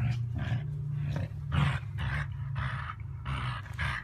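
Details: Miniature Dachshund, a pet sausage dog, giving rough, throaty growl-like bursts roughly twice a second, each burst harsh and broadband, over a steady low rumbling hum throughout.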